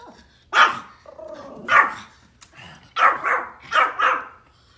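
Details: Pomeranian barking at deer outdoors, loud high-pitched yaps spaced about a second apart, five sharp barks with a short whiny sound between the first two.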